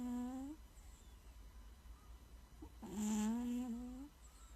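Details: Domestic cat snoring indoors: a steady, nasal, humming tone with a slight wavering rise, one short breath sound, then a longer drawn-out snore about three seconds later, in a quiet room.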